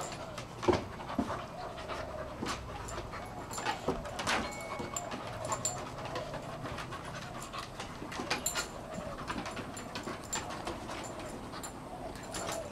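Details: Two dogs at play, Rolex, a 1-year-old female Shar Pei, and Ellie, an 8-month-old Kelpie x Border Collie, trying to grab each other's cheeks: steady rhythmic panting under scuffling clicks, thumps and short sharp bursts of movement.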